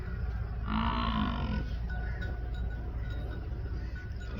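A water buffalo gives one short, deep, hoarse moo over a steady low rumble.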